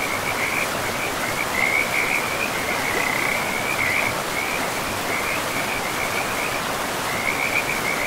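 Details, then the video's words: By a forest river, frogs give steady high trills in short repeated bursts with small gaps between them, laid over a loud, even hiss of running water. "River and Frogs sleep sounds 10 hours"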